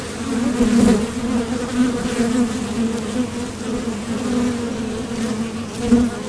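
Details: Foraging honeybees buzzing at the doorway of a Top Bar Hive as they depart and return from the field, a dense low hum with a clear overtone, louder surges near one second and again near six seconds.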